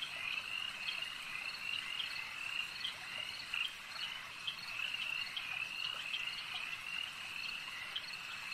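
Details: Chorus of frogs by a lake: continuous overlapping trills and repeated short croaking notes, steady in loudness throughout.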